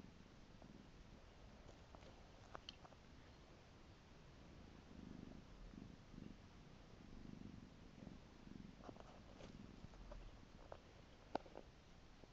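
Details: Piko the pet cat purrs with gentle, pulsing rumbles that grow stronger after the first few seconds, accompanied by occasional light clicks and rustling close by.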